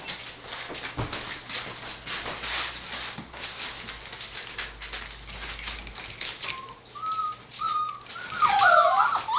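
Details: Border Collie puppies born 19 September 2020, filmed 1 November at a breeder's home in Fukiage, Hioki, Kagoshima, Japan; crinkling and rustling dominate early, then high thin whimpers rise and fall in the last few seconds.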